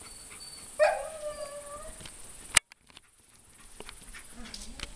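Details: A four-year-old Alaskan Malamute gives a short wavering whine-howl with strong harmonics. It rises, then slides down and levels off over about two seconds, and is followed by a sharp click and then quiet background hiss.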